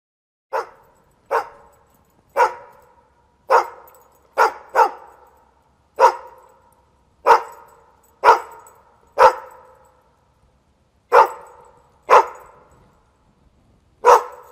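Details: Single dog barking in loud, sharp separate barks, about a dozen across the stretch, spaced irregularly one to two seconds apart, each bark a short burst with a bright harmonic core; quiet between barks.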